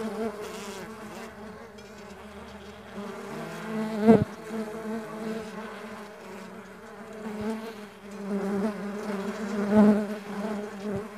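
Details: Stingless bees at a bee farm, many insects droning together in a steady low hum with layered overtones, swelling and fading, broken by a sharp click near four seconds and another louder burst near ten seconds.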